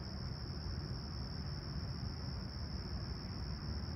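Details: Crickets chirping at a clear, calm summer sunrise at Humber Bay Shores, Toronto, on 28 July 2020, at 20°C: a steady, high, finely pulsing trill that runs throughout, over a constant low rumble of distant traffic.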